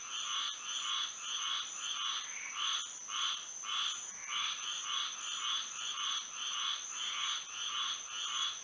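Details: Nighttime frog chorus in Florida by moonlight: many frogs overlapping in quick rhythmic croaking pulses, rising and falling in waves roughly every second, over a constant thin high-pitched drone.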